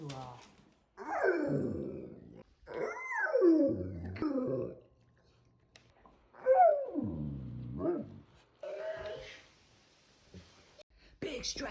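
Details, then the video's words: A dog waking from sleep and giving a big stretch, making groaning, whining noises: several drawn-out, wavering moans that slide downward in pitch, separated by short pauses. "Dog Makes The Cutest Noise When He Stretches"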